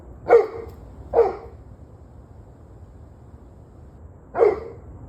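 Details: Dog barking, recorded on 21 November 2023 at 7:06 pm: three short, harsh barks, two close together and a third after a three-second pause, over a low steady background hum.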